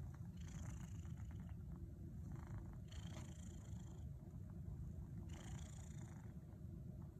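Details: Kneading house cat in a teepee gives an unbroken low purr, a constant thrumming hum, while three short bursts of rustling from paw movement come and go.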